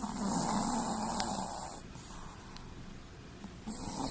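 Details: Sleeping Chihuahua snoring with its eyes rolled back to the whites: a long, rough, wheezy snore fills nearly two seconds, a quiet pause of exhaled breath follows, and a new rasping snore begins at the end.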